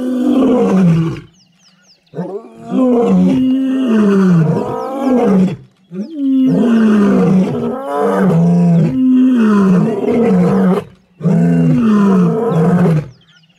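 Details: At MalaMala Game Reserve, Africa, wild lions of the Kambula pride and Ndhzenga males roar near mating pairs and cubs. Several overlapping deep roars and grunts form an almost continuous chorus in long bouts, with faint bird chirps above.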